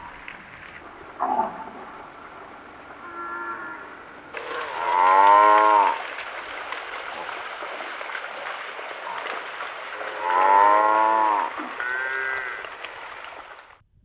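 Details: African buffalo in the African bushveld: two drawn-out, moaning bellows with rich stacked harmonics, falling slightly at the end, about six seconds apart, with quieter lowing between them over a steady hiss of background noise.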